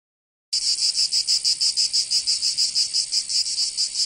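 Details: Cicadas singing in summer in Provence, southern France: after a brief silence, a loud, high, dry buzzing starts abruptly and pulses steadily about four times per second, with no other sounds.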